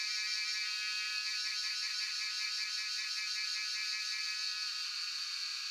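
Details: Jhyaukiri, the local name for cicadas, singing in Shivapuri National Park at Tarkeshwor, captured by cellphone; loud continuous shrill buzz with a rapid rhythmic throb running through it, unbroken from start to finish.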